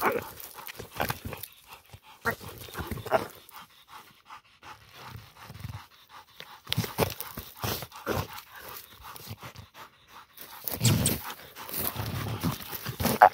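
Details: Female pit bull panting while catching a peccary: quick, breathy, noisy puffs in rhythmic runs, pausing and resuming, with louder rough bursts near the end.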